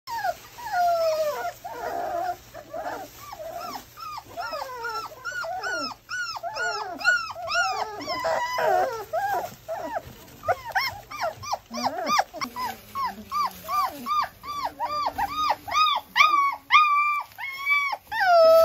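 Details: German Shorthaired Pointer puppies having their nails trimmed whimper and yelp almost continuously. Their high, arching cries overlap at first, then become a rapid run of short yelps, each rising and falling, repeated about twice a second.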